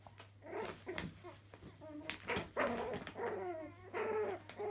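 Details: Chihuahua puppies playing in a laundry room: soft, wavering growls and whiny yelps in short bursts, mixed with scuffling and patter on the floor and a steady low hum in the small indoor space.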